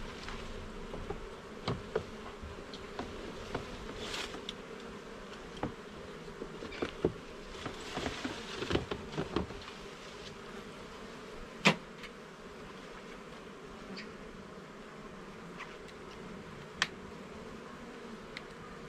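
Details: Honey bees droning steadily while their garden hive's levels and frames are checked; the hum runs beneath bursts of rustling and clattering, with two sharp knocks later on.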